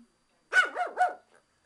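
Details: Japanese Chin barking at the window cleaner, a quick run of three high, sharp yaps within under a second, each bending down in pitch, then silence.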